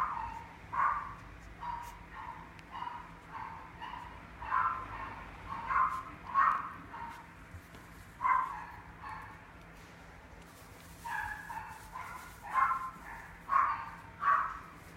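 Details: Apricot-coated male mixed-breed puppy, born 26 September 2019, at a pet shop, barking repeatedly with sharp high yaps, sometimes in quick doubled bursts, pausing briefly near the middle before resuming, over a low background hum.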